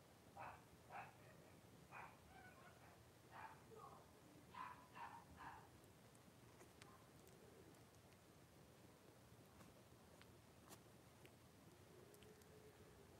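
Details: Five Blenheim Cavalier King Charles Spaniel puppies, born on New Year's, with their mother Paris in an indoor home puppy pen. About eight short, high yips and whines come in quick bursts over six seconds, then soft rustling and faint clicks.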